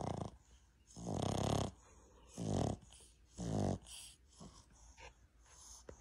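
A Boston Terrier snores in loud, rasping bursts about once a second.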